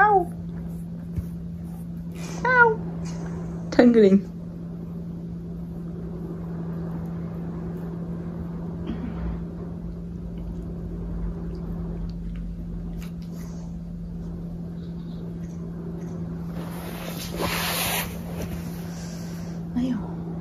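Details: Pet cat being weighed indoors, giving a few short falling meows: one at the start and two more around the third and fourth seconds, each dropping in pitch. Then a long quiet stretch with a steady low hum and occasional rustling.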